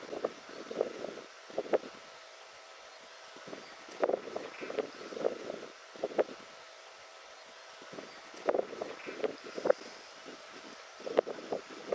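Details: Gusty wind noise on the microphone with scattered knocks and rustling, and a faint low engine hum; no animal calls stand out.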